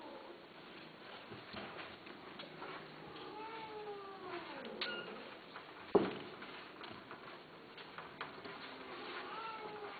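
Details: Mating cries from indoor Persian Himalayan cats, female and male: drawn-out wailing caterwauls that rise then slide downward, a sharp knock midway, then another rising wail near the end.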